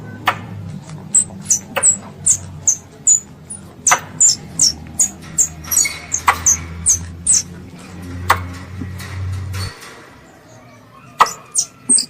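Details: A pest squirrel calling its mother gives fast, high-pitched descending chirps with scattered clicks. A low humming drone underlies the first part and then stops, followed by a short quiet gap before a few final chirps.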